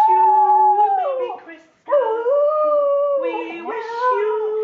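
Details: Border Terrier dog howling along to the Christmas song "We Wish You A Merry Christmas": long, sustained, wavering tones that slide down at phrase ends, a short pause, then more drawn-out howls, with the singing possibly mixed in.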